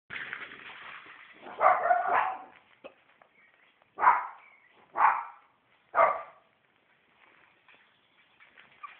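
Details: Shih Tzu puppies, a litter about four weeks old, giving a noisy yelp at about two seconds followed by three short sharp barks spaced roughly a second apart, with faint squeaks in between and toward the end.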